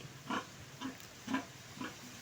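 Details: Sow, recently parted from her piglets, being washed gently so the young stay dry: four short, hoarse grunts about half a second apart in a quiet room.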